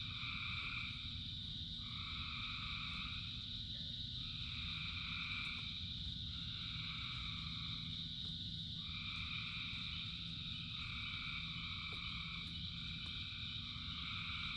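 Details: Chorus of frogs in the rain: overlapping two-tone calls come in bouts of one to two seconds under a continuous high-pitched trill, with heavy low rain noise throughout and occasional sharp drips.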